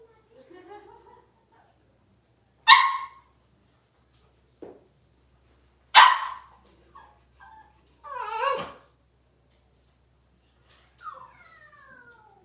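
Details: Cavalier King Charles Spaniel puppies, six weeks old, during deworming and nail trimming indoors: a few short sharp yips and barks spaced seconds apart, one wavering yelp, then a soft falling whimper.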